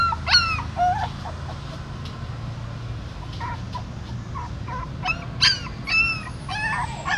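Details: Dog at a pagoda in Siem Reap, a mother carrying her newborn puppies in her mouth from a hole in the stupa. Scattered high, thin whimpers and yips with rising and falling pitch over a low background rumble.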